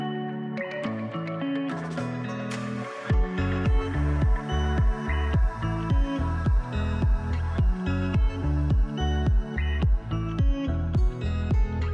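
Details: Electronic music with a steady, pulsing beat and guitar-like tones plays throughout.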